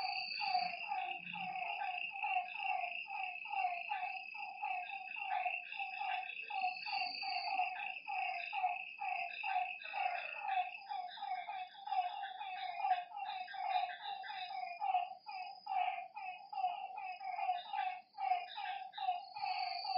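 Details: Night chorus of frogs at a lakeside, many short falling croaks tumbling over one another in quick succession, with a constant shrill insect drone above and brief higher chirps near the middle.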